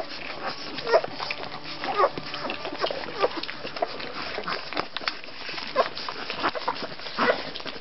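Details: Rhodesian Ridgeback puppies in their second week whimper and squeal in short rising bursts, a few each second and louder at moments, over faint background speech.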